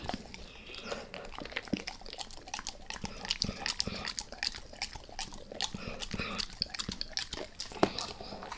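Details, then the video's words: Max the dog chewing a beef rib: rapid crackly bites and licking clicks packed closely together, a sharp louder snap near the end. "Max Eats | Beef Rib | ASMR DOG EATING"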